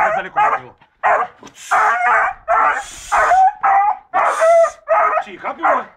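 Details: Rambo, a seven-month-old beagle, barks and bays in quick, uneven bursts, some calls ending in a level whine, with a person speaking in the background.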